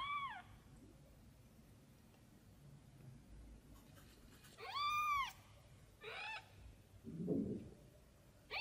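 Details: Tiny kitten crying out while looking for its mother cat: high, arched meows with rich harmonics, one opening the clip, then a pair near five and six seconds, followed by a soft low thump in a quiet indoor room.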